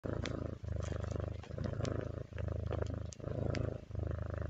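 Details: Domestic cat purring steadily indoors, a deep low rumbling thrum in rhythmic pulses that swell and fade with each breath, about every 0.8 seconds, with faint soft clicks above.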